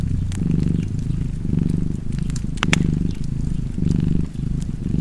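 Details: Cozy domestic cat purring steadily beside a fireplace, a low rumbling drone that swells and eases with each breath about once a second, while sharp crackles and pops from the burning fire scatter across the rumble.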